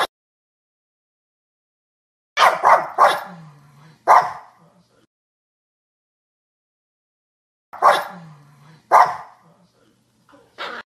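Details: Dog barking in two bursts of three or four sharp, rough barks, each burst followed by a short low growl, with silence between.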